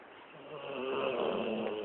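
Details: Dog named Lexi asleep after a long day of play, a rough breathy snore swelling gradually and holding to the end, softer and noisier than a clear tone, indoors.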